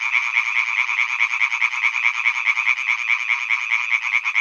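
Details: Male European tree frogs croak from a pond on Hyby Fælled in a dense, rapid chorus of harsh, rattling notes that never pauses.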